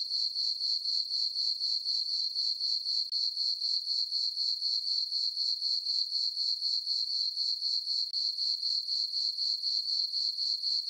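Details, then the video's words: Peaceful full-moon summer night on a farm meadow, where crickets keep up an unbroken, piercing trill that beats steadily around four times a second for the whole stretch, with only the insects audible. "Cricket chirping sounds"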